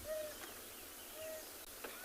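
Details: At sunrise in Tswalu Kalahari Reserve, South Africa, an African wild dog puppy gives soft, brief tonal hoo calls about a second apart, much cuter and quieter than the adults' loud, haunting hoo.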